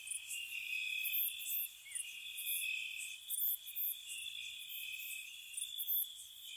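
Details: Crickets at night in spring around a cottage: a continuous shrill high trill layered with bright pulsed chirps in short bursts, several callers overlapping steadily with no other sounds.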